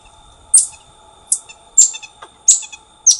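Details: A calling black-tufted marmoset (Callithrix penicillata), endemic to Brazil, gives five sharp, very high-pitched chirps over about three seconds at an uneven pace, with a steady faint whine in the background.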